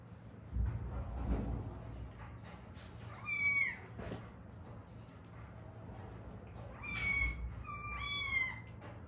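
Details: A rescued street cat, one of a mother and daughter who lived seven years as strays in Haeundae, South Korea, one with a bone broken in a traffic accident that healed unset; three drawn-out falling meows after a quiet start, light background noise.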